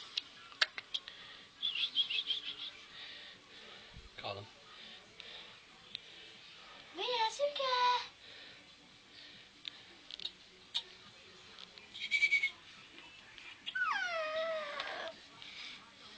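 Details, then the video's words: Two Shih Tzu puppies, Mia and Suki, just woken up and excited indoors, giving high drawn-out whines that slide downward, one near the middle and a longer one near the end, among soft clicks and scuffles. "Shih Tzu puppies .Mia and Suki just woken up ."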